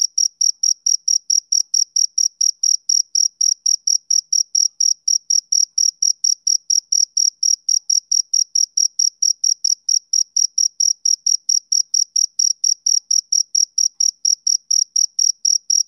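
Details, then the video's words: A male cricket keeps up a fast, even chirp of thin high-pitched pulses, about four per second, steady throughout with nothing else heard. "Cricket Chirping Sound Effect"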